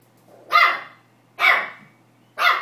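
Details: Pomeranian puppy barking for the first time, excited while attacking a tennis ball: three sharp, high yapping barks spaced about a second apart, with a steady low hum underneath.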